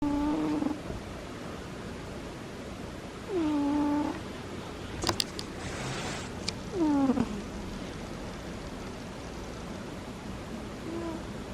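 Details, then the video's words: Sleeping dog making little snores: thin, squeaky whistled tones that dip and level off, one with each breath about every three to four seconds, with a brief clatter in the middle over a steady room hiss. "The cutest little snores"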